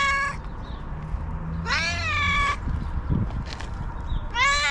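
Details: White cat screaming angrily, with three loud, harsh, strongly harmonic yowls, the middle one long and wavering. Faint thumps and low humming noise sound between the cries.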